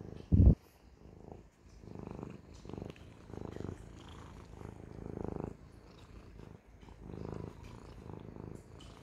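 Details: Siamese cat purr with pulsing low rumbles in breath-length bursts, a loud thump at the start and faint clicks throughout.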